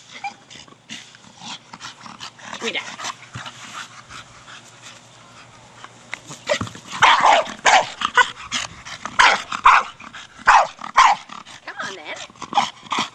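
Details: Staffie Brogan, aged four, at play with a big hard plastic ball: quieter shuffling sounds at first, then a rapid, irregular burst of sharp, punchy barks filling the second half.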